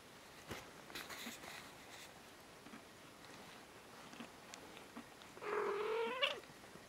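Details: Young kitten meowing indoors: after quiet rustling, a single drawn-out mew of nearly a second that rises in pitch toward its end.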